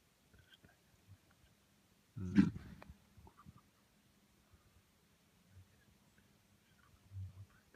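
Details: Deer stag in the middle of a field in Latvia during the mating season: one short, loud, low guttural grunt, rough and throaty, lasting under a second, with faint low thumps before and after in otherwise quiet surroundings.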